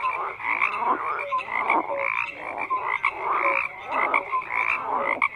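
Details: A lively frog chorus of stacked croaks and trills, with loud bursts recurring about once a second and short piping whistles and sliding notes weaving between them.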